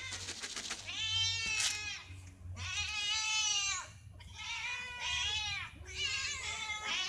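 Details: Domestic cats fed in the morning, meowing for food or attention; loud drawn-out harmonic meows, several in a row, each rising then falling, with short gaps between, over a faint low hum.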